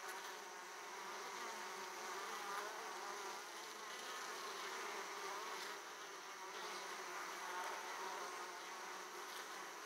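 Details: At the hive opening, Italian honey bees come back carrying plenty of pollen; an even, rich buzzing drone of a crowd of bees, with occasional faint thin whines rising above it.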